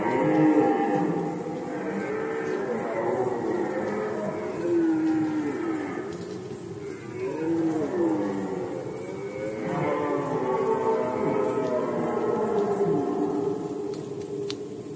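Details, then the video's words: Red deer chorus during the 2020 rut in Poland: overlapping moaning roars that rise and fall in arching waves, repeated over fifteen seconds, with a continuous high-pitched rhythmic ticking above. "Rykowisko jeleni, Rut season of Red Deer"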